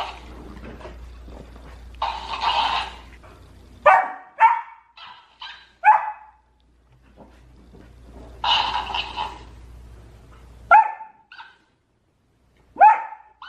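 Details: Golden Retriever at home quarrelling with the family's hamster, the scene getting a bit out of control; clusters of quick sharp barks and a couple of longer harsh cries, separated by short silences.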